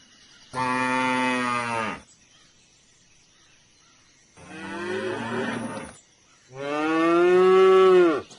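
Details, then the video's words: Three loud cow moos, long droning bellows rich in overtones, the middle one softer and rougher, the last rising in strength before breaking off, separated by quiet pauses. "suara SAPI moo. Cow moo sound effect ! video suara binatang sapi ! belajar mengenal suara hewan sapi"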